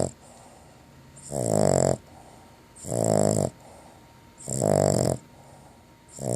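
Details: Female dog dozing after a bacon-flavoured long-lasting chew produces loud, grating snores. Four rasping inhalations come roughly every one and a half seconds, each lasting about half a second, with near silence between them.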